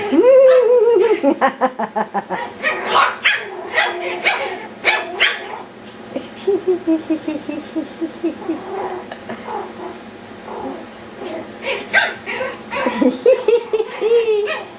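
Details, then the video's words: Yorkshire Terrier puppies going wild at play: a rising, drawn-out whine opens, then a burst of sharp, high yapping barks and yips in quick irregular runs. A second whine comes near the end, and human voices are heard faintly. "Our Yorkshire Terrier Puppies"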